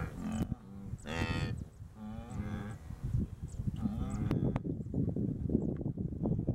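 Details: Wildebeest herd during the Great Migration in the Serengeti, Tanzania: several animals give overlapping nasal, moaning grunts with buzzy harmonics, some short and some drawn out. A steady low rumble of movement runs beneath, with occasional sharp knocks.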